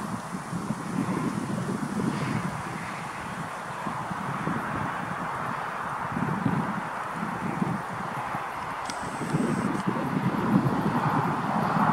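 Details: Steady wind rumble and rustling with distant traffic-like noise, with no clear animal call.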